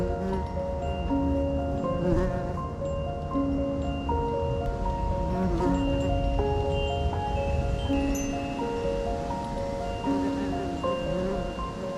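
Gentle chiming mallet tones ring out over a low rumble, with no animal voice heard.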